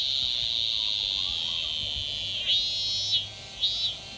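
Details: A cicada (semi) in Japan in summer gives a steady, high electric buzz, broken near the end by pulsing, warbling bursts.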